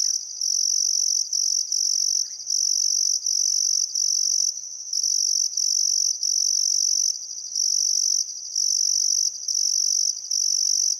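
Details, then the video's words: Crickets chirping on a still summer afternoon at sunset by the Barcoo River, Welford National Park, Outback Queensland, Australia: a continuous high-pitched trill broken by short pauses roughly every second, steady and loud throughout. "Australian Sunset Chirping Crickets"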